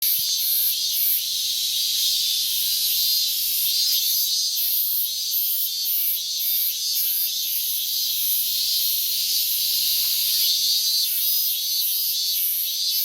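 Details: Minmin cicada calling steadily from morning on 12 August 2019, in a year when the calling began late; a dense, high, shrill buzz carries a pulsing beat of roughly two throbs per second throughout, with no other clear sounds.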